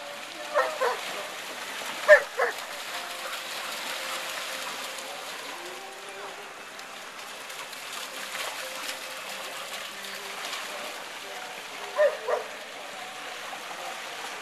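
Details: Giant Schnauzer Lili, age 11, cooling down after swimming sprints, runs at Sunset Beach with a ball in her mouth while barking. Short, muffled barks come in pairs near the start and again later, over a steady rushing background.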